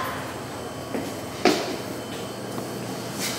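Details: Indoor clunks and a sharp knock like a door or cupboard closing over a steady low hum, with no animal voice.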